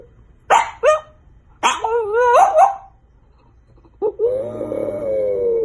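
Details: French bulldog puppy letting out two sharp yelping barks, then a longer warbling whine that bends up and down, and finally a sustained wavering howl, all indoors.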